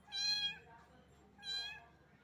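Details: A little cat soaked by rain and shivering from the cold gives two bright, harmonic meows roughly a second apart, each bending slightly downward at the end.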